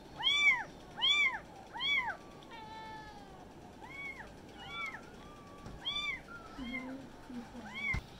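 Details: A group of kittens mewing together. Loud, bright, arched cries repeat more than once a second, with a flatter, longer wavering mew in the middle and soft scuffling underneath.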